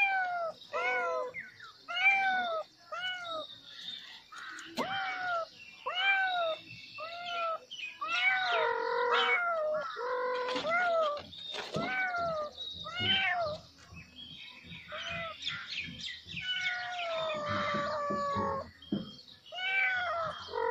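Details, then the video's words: Kittens crying loudly after seeing a snake: clear, arched, high-pitched meows repeated roughly every half second, several kittens overlapping into a dense, insistent chorus with brief gaps. "kittens crying loudly to sea a snake"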